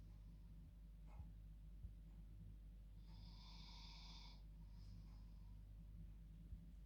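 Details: Sleeping female dog in her bed at night gives a single hissing snore lasting over a second, then a quieter follow-up breath, against a low steady room hum.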